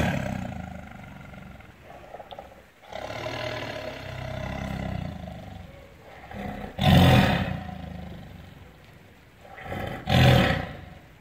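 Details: Tiger giving low grumbling growls that build into two loud, harsh roars about three seconds apart.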